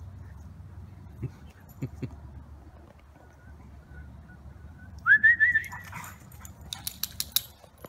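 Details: Siberian Huskies Maya and Pearson playing in the yard after their morning walk: after quiet low hum and a couple of soft thumps, one dog gives a brief wavering whine that rises slightly, followed by sharp clicking sounds.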